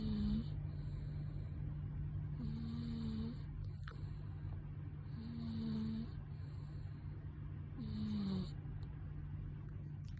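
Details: A sleeping pet cat snoring, with soft breathy snores roughly every two and a half seconds. Each breath carries a faint low tonal hum, set against a steady low electrical hum in the room.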